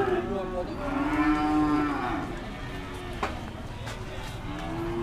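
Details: Cattle being readied for weighing at the Dimoro cattle market, Blitar: a long harmonic moo that swells and falls over about two seconds, followed by quieter lowing, a sharp knock and background voices.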